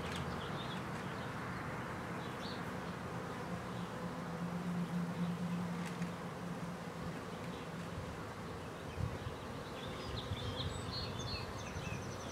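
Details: Honey bees living on the side of a house in Clintondale, New York, in the Hudson Valley, just starting to get moving in warm weather; a steady, dense buzzing drone with a low hum and faint high chirps in the background.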